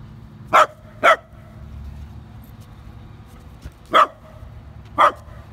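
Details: Pet dogs, a Dachshund facing a Great Dane: four sharp barks, a quick pair near the start and another pair about a second apart near the end, with a faint knock between and a quiet indoor background.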